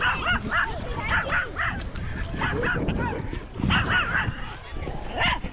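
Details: Loose off-leash dogs approaching a man at Lake Nacimiento, barking in a rapid irregular series of sharp, mid-pitched barks, about one a second, with overlapping yips and some human voice in the background.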